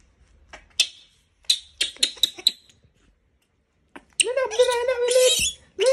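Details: Sharp taps and clicks come first, then a disturbed monkey bursts into a sustained, raspy scream of over a second. A second scream begins at the very end.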